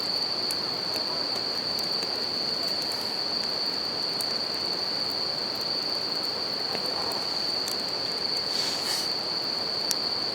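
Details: Campfire next to a river with bell crickets ringing in nature; one continuous shrill high note holds without pause, layered over broadband water noise and a few scattered fire snaps, one burst of hissing crackle near the end.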